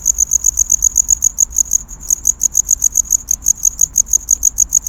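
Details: A cricket chirps steadily to attract a mate in courtship, a high pulsed trill repeating several times each second.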